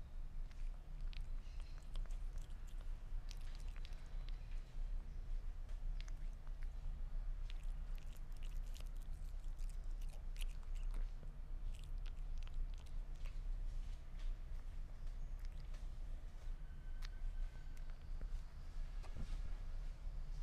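A Sphynx cat chews meat with wet, crackling bites and soft smacking clicks over a low steady hum.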